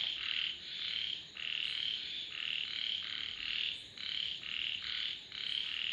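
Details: Loud, nearly continuous frog croaking, bright raspy notes in rapid overlapping bursts from more than one caller, with a faint high-pitched hiss behind.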